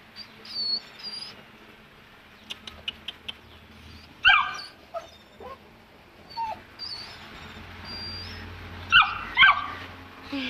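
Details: Saint Bernard puppy aged two months, hesitating at the top of the stairs, lets out scattered high-pitched whimpers and short yips between quiet pauses, with faint household noise behind.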